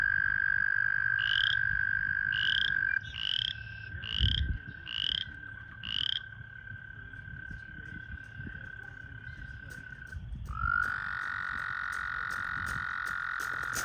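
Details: American toads calling at a breeding pool during breeding season: a long, steady, high musical trill holds for about ten seconds, overlaid by six short higher chirps about every 0.7 seconds, then a second toad's trill begins near the end.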